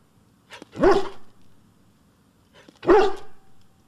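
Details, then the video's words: Dog barks from a collection meant to make pet dogs bark: two deep, forceful barks about two seconds apart, each with a brief soft lead-in and a lingering low tail. "Dogs Barking"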